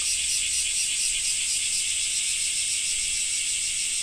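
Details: Cicadas in Japan on a rainy summer day: an intense high buzz with fast, slightly uneven pulsing, constant in volume across a few seconds, no other distinct sounds.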